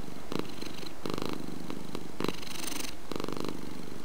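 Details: Domestic cat purring steadily, a rough low hum that grows louder in pulses roughly once per second, alternating with softer stretches between breaths.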